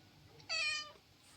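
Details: House cat sulking after being refused a massage gives a single short, bright meow of under half a second, clear harmonics, level pitch, against quiet indoor background.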